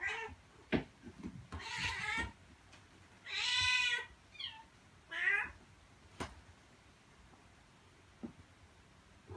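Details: Mother cat calling her kittens to stay close and come with her, during a time she moved between a room and outdoors; several wavering, bending meows of varied length, with scattered knocks and clicks in a quiet indoor space.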